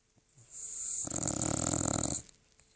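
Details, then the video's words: Thirteen-year-old poodle sleeping and snoring: one long rasping, noisy snore lasting about a second, with a hissy breathy edge, in a quiet room. "My dog Chuck is snoring"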